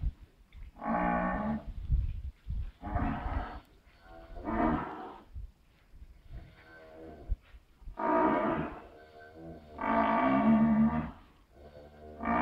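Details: Pedigree Shorthorn cow bringing her cud up to chew, moaning without pain as she has since a calf; a run of about six rich, groaning moans of varied length, closely spaced, with low rumbling between them.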